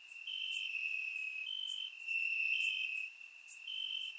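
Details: Bulgarian summer night crickets chirping in grass, surround recording; two or three insects trill in high steady bursts that overlap and alternate, with brief faint buzzes above.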